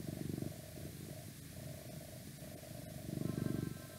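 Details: A domestic cat purring close up, a steady low rumbling buzz swelling in two stronger bursts, with faint whispering and some outside noise in the background.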